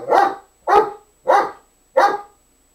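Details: A dog barking while trying to get another dog to play, which does not want to; four loud, clear barks spaced about two-thirds of a second apart against a quiet background.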